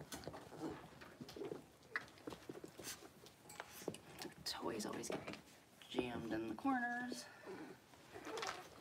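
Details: Six-week-old blenheim Cavalier King Charles Spaniel puppies in an indoor puppy pen, one of a litter of five. Mostly rustling and soft voices, then a short, high, tonal whine that wavers and falls about two-thirds of the way through.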